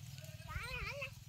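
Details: Goat bleating on a farm with housed and semi-housed goat rearing, brought out to graze in an open field; one wavering, bending bleat of about half a second with a man talking over it.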